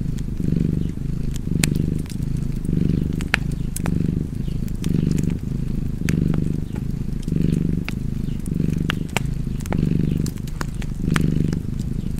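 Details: Low rumbling purr of a cat, rising and easing rhythmically about once per second, accompanied by frequent crisp fireplace crackles over the whole stretch.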